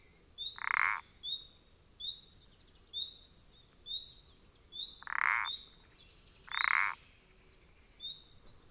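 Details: Common parsley frog calling, recorded 14 April 2020: three bright, grating croaks, at the start and around five and seven seconds, over a steady stream of short high whistled chirps repeated under a second apart.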